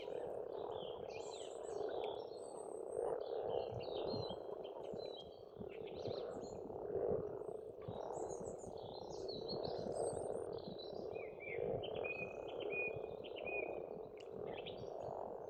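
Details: Springtime frog chorus from a pond in rural Estonia, a steady murmuring mass of overlapping croaks rising and falling in loudness, with scattered high bird whistles and chirps throughout.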